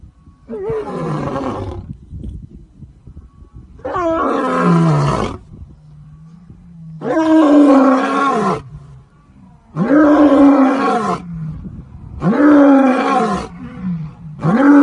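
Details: A lion roaring in a zoo gives loud, deep, groaning roars. Each lasts about a second and a half and repeats roughly every three seconds, with quieter breathy grunts between them.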